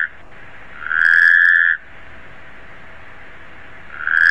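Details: Taipei tree frog calling: a long, steady mid-pitched note of under a second, then a pause of about two seconds before the next call begins, in a quiet setting.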